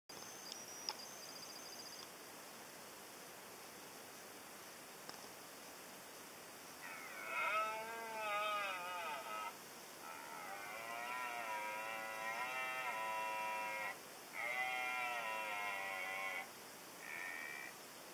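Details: A red deer stag, steam coming from his nostrils, gives long, harsh, groaning roars in several drawn-out bouts as he makes his way toward the observers.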